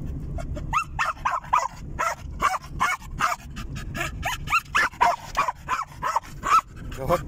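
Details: During a car ride, a German Jagdterrier utters a continuous string of sharp, rising yelps and whimpering barks, about two per second, with engine rumble and a person talking in Russian.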